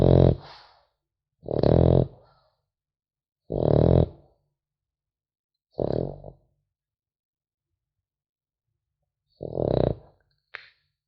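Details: Sleeping French Bulldog puppy snores with rasping, low, throaty breaths about every two seconds, five strong ones and then a longer pause before a final snore, all in a quiet room.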